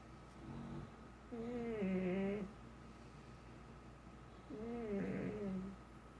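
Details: Pet pug snoring indoors: two long, wavering, tonal whining snores about three seconds apart, each lasting around a second, over a low steady hum.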